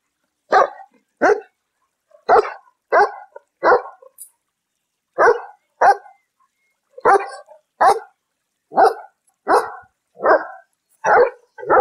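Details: Steady barking from a domestic dog of a popular breed: a long run of about sixteen short, mid-pitched barks, roughly one every two-thirds of a second with a single brief pause, in silence.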